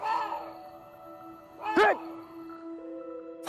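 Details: A Korean water deer, heard at night near a well where it came down to drink water, gives a harsh, arching scream that listeners say sounds eerily like a person crying out.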